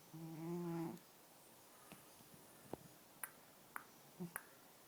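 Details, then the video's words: Sleeping black and white house cat Ning gives one short, low, buzzing snore at the start, then faint indoor clicks and rustles. "Black and White Cat Snoring"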